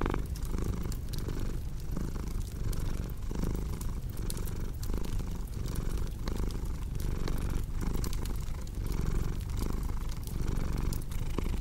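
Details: Cat purring with a low vibrating rumble in regular breathing cycles, while a crackling fire adds sharp intermittent pops and hiss.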